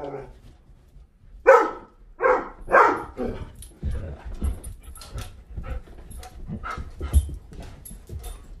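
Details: Doberman demanding attention, food, water or to be let in or out: three loud, ragged barks in quick succession early on, then softer muffled barks and low rumbling handling noise.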